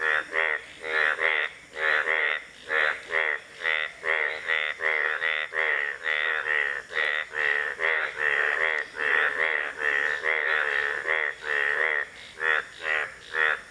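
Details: An Indian bullfrog gives a long run of rapid, nasal, buzzy croaks, closely spaced and fairly regular, some notes merging into doubled pulses over a faint steady hiss.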